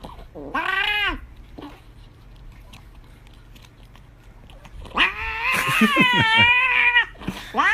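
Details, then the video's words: Indoor cat begging loudly for chocolate: a short arched meow, a long quiet pause, then a sustained, wavering scream lasting about two seconds with a final yowl, a person's voice mixed in. "Screaming cute 🐈 cat"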